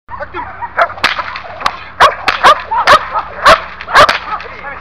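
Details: A one-year-old Belgian Malinois in protection/security training gives sharp, clipped barks, roughly twice a second, amid loud snapping cracks.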